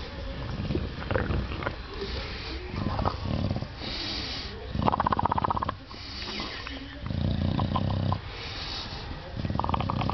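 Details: An English Bulldog having his belly scratched gives deep, rumbling grunts and snorty breaths in uneven bursts, a throaty purr-like sound of contentment; faint rustling and a hint of a human voice sit in the background.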